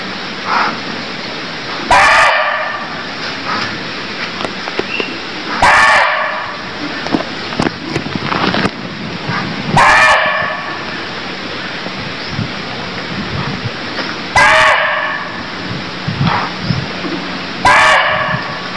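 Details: Deer calling in Cambodia: five loud, short, harsh bark-like calls, about every three to four seconds, each a rich harmonic burst, over steady background hiss with scattered clicks and faint rustling between calls.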